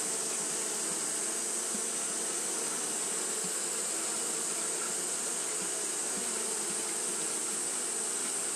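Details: Japanese honey bees fanning continuously on a hot day: a steady, dense droning hum with low tonal bands and an even hiss layered above, unbroken throughout with no pauses.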